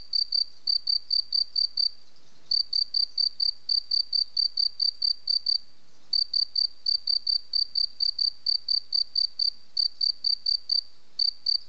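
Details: A cricket chirps continuously in high, metallic pulses roughly two per second in tight groups, with brief breaks around two and six seconds; quiet surroundings.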